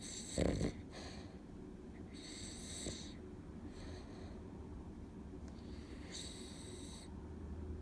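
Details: Cavalier King Charles Spaniel An in deep weekday sleep: a short snort opens, then soft airy snoring breaths come every few seconds, each a hissing wheeze with a faint low rumble beneath.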